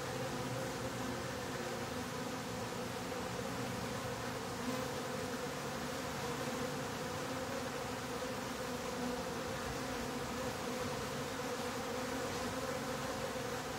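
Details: Honey bees droning in a top bar hive with its bottom board closed, a steady, dense buzz with clear sustained middle tones throughout, unchanging in loudness.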